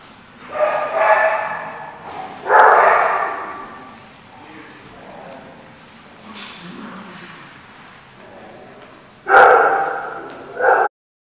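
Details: Dog at The Barking Lot, 14 November 2014: several loud, rough barks spaced a few seconds apart, with a quieter stretch of low background sound between them.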